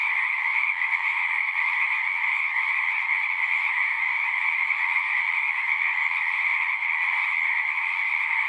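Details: Frogs at a horse-pasture pond, Zoom recording, calling in a thick continuous chorus; rapid pulsing trills merge into an even high-pitched hum over a lower band, without pause.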